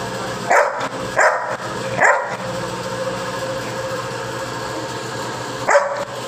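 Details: Pet Labrador Retriever named Nikku barking four times: three short, sharp barks spaced under a second apart, then a pause of several seconds before a final bark, with steady background hum while a person gives commands in Hindi.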